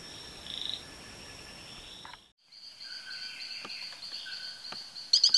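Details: Frog from the SE Brazil rainforest giving short high notes after a brief gap, followed by a rapid train of bright pulses and a few sharp clicks over a steady high insect buzz.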